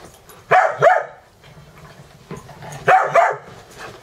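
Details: Morning play-fight between dogs Dexter and Mister, with Ecco and Cricket observing, at a home boarding dogs in Valley Village, California; two bursts of rapid double barks, bright and forceful, roughly two seconds apart.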